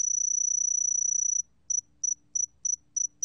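A sword-tail cricket gives a thin, very high continuous trill, then breaks into short chirps repeated about three times a second.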